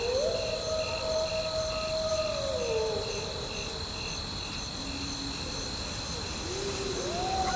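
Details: Gray wolves (Canis lupus) howl in long, steady, mid-pitched tones during a thunderstorm, over rain, with crickets chirping in the background.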